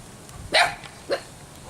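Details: Two newborn puppies with a cough, barking indoors: a sharp, bright yelp followed half a second later by a shorter, softer one, against quiet room background.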